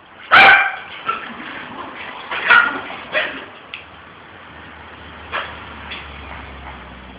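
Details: A Pit Bull walking with a puppy gives one sharp, loud bark near the start, then scattered softer yips and barks over a continuous background hiss.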